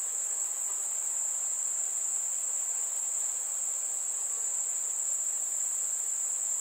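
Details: Summer-evening crickets calling among fireflies: one sustained, thin, high-pitched ringing trill that runs evenly for several seconds, steady in volume, with nothing else clearly heard.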